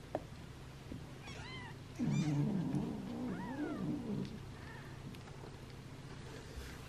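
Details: Newborn rescue kittens on their third day of care, losing weight and hand-fed formula every two hours. Several soft, high arched mews come in quick succession over a steady low rumble and handling noises.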